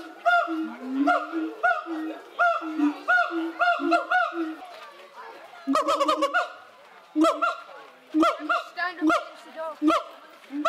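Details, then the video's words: Siamang gibbons in an enclosure at Cotswold Wildlife Park call loudly toward onlookers. Fast series of clipped, ringing barks and shrieks over short low booming hoots, repeated in irregular bursts for about ten seconds. "Funky Gibbons yell at the watching crowd"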